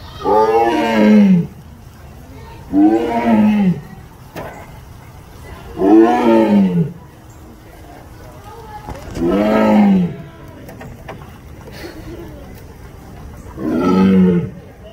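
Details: Tiger at the Louisville Zoo roaring in a slow series: five loud, rough, drawn-out roars of about a second and a half each, spaced roughly three seconds apart, each sliding downward in pitch, with quiet background noise between them.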